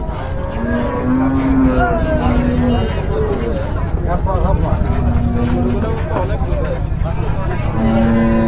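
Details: High-yield Holstein Friesian dairy cow at a cattle market in Bangladesh, filmed during milking; several long level moos with harmonic tones, separated by gaps, over steady crowd noise and chatter.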